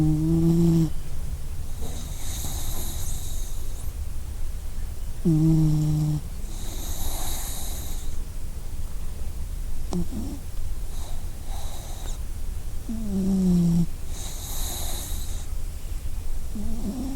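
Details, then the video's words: Sleeping dog making soft, low whimpering whines that dip and fade. Noisy snore-like breaths come roughly every two to three seconds, with a hissing rush in each exhale. "Sleeping Dog - 2 Minutes Sound Effect"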